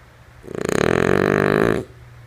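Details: One fluttery, rasping snore from the sleeping female French Bulldog Lulu. It rises quickly, holds for about a second and stops abruptly, with a low constant hum in the room behind it.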